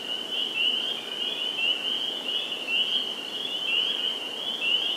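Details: Spring peepers at a Sudbury, Massachusetts vernal pool, 11 April 2019. Individual rising, whistled peeps stand out about twice a second over a continuous high chorus of other calling frogs.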